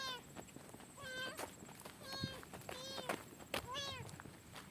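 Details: Stray kitten rescued by a biker from the middle of a highway, giving five clear, drawn-out meows, each rising then falling, spaced about a second apart, with faint road noise and soft clicks between calls.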